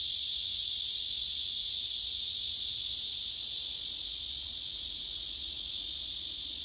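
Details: Cicada song from a male on a tree trunk, phone recording: continuous shrill electric buzz at a constant level, a fine fast pulsing within the drone, nothing else audible.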